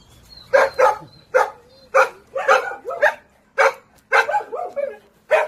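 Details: A dog barking in quick bursts, short sharp barks coming in pairs and singles about twice a second, some with a whining edge, against a quiet background.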